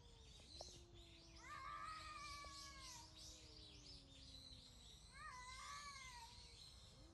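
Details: Two wild cats early in the morning of 18 November 2021: one holds a long, low, steady yowl that slowly sinks, while another cuts in with higher wavering wails; birds chirp throughout.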